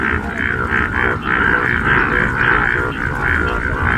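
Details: Yellow frogs calling in a paddy field in Kollam, Kerala: a dense chorus of rapid, repeated croaks, about three a second, merging into a steady rhythmic throb.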